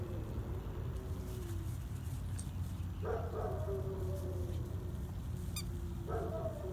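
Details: Puppy wanting to play gives drawn-out whining calls, a low sliding whine early, then two higher wavering whines that fall in pitch near the middle and end, over a steady low rumble of background noise.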